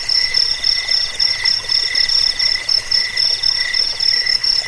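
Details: Crickets trilling together in a recording meant to drive off rats and tutor caged birds: a shrill ringing tone on top and a lower pulsing trill that swells and fades about every half second.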